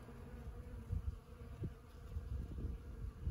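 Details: Morning hum of many honeybees working Ceanothus cuneatus var. fascicularis (sand buck brush) blossoms at Los Osos elfin forest, a deep continuous drone with uneven surges in loudness as insects pass close.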